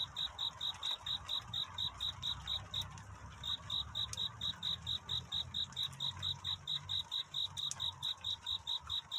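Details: Cricket singing a courtship song on a night into dawn: a steady train of high, pure chirps, about four pulses a second, with a brief gap near three seconds, over a soft low background hum.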